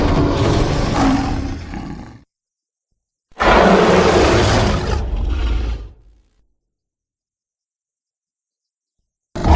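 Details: Western lowland gorilla giving two heavy, rough roaring bursts, each about two to three seconds long and separated by silence, with deep low rumbling under a broad harsh noisy spread.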